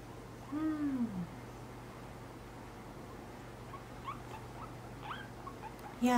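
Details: Pet guinea pig during nail clipping, a short arched squeal rising then falling near the start, faint soft squeaks later and another squeal at the end, over a low steady hum.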